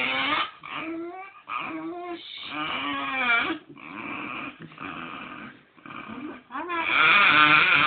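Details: Pet dog "talking" while being stroked on the belly, wanting more stroking: long, warbling, moan-like cries that rise and fall in pitch, with brief pauses and a louder, sustained stretch at the end.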